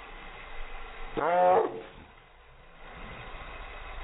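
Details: Chihuahua barking at helicopters: one loud, half-second, ringing bark with stacked overtones in the middle, followed by quiet low rumbling background noise.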